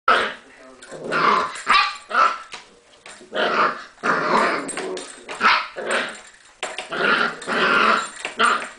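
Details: English Springer Spaniel puppy, nine weeks old, trying to pull the back door keys out of the door, giving a steady run of rough growls and short, gruff barks in quick bursts.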